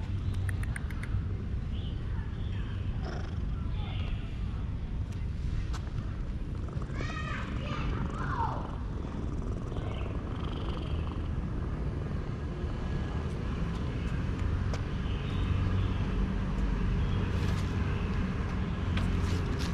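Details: A petted male cat purrs loudly in satisfaction, a low throbbing rumble under brief human speech, with scattered chirping calls midway and near the end.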